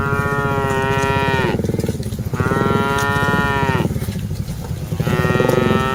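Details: Moos from a herd of dozens of cattle being driven along: three long, loud, harmonic-rich calls, each holding steady then sliding down in pitch, one after another with brief gaps between.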